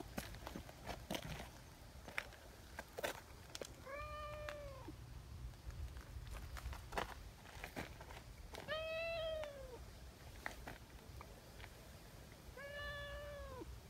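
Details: Community tabby cat meowing after eagerly seeking affection: three drawn-out, slightly arched meows spaced about four seconds apart, with scattered clicks and footsteps and a low background rumble.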